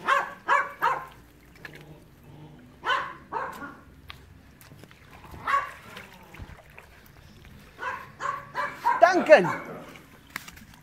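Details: Enzo and Ozzy, pet dogs, give a quick run of three sharp barks, then single barks spaced a few seconds apart, ending in a denser cluster of barks and yips, with a person talking between them.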